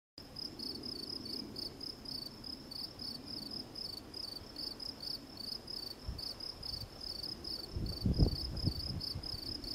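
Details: Field cricket, Gryllus campestris, singing a steady series of short, high, shrill chirps, about two to three per second, with low rumbling background noise that swells briefly near the end.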